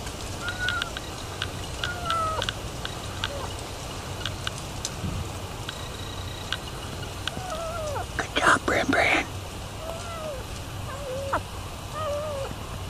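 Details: Feral kitten brought by its feral mother cat to be fed in Texas; thin, short mews rising then falling, repeated at irregular intervals, with a person talking quietly and a brief loud rustling burst midway.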